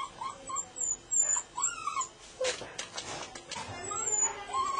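A Golden Retriever whines in thin, high, wavering notes that rise and fall in short bursts.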